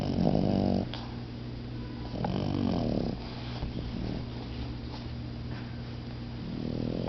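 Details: Puppies taking a nap, two of them, both recovered from red mange, snoring with deep rasping breaths: loud growly snores at the start, middle and end, quieter breathing between, over a constant low hum.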